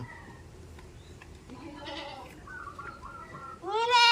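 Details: Goat on a village farm: faint tonal calls and murmurs, then a loud, harsh, rising bleat that ends the recording.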